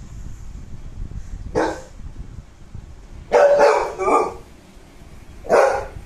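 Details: A pet American Bully, born in December 2019, barks in separate bursts: a single bark, a quick double bark, a brief pause, then one more sharp bark, with quiet low background hum between.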